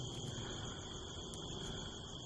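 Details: Crickets (the speaker thinks they're crickets) give a steady, high-pitched trill with a faint low rumble underneath, recorded from a rooftop on the night of the September harvest full moon, 25 September 2018, in the rural California desert hills above Hemet.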